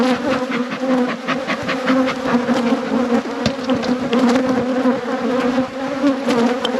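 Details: Steady drone of a thriving honey bee hive during an apiary inspection, low and continuous with a higher humming overtone, punctuated by scattered light clicks and taps of handling equipment.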